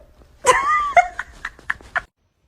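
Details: House cat letting out a drawn, slightly rising meow, then a second shorter call, trailed by several soft clicks or taps.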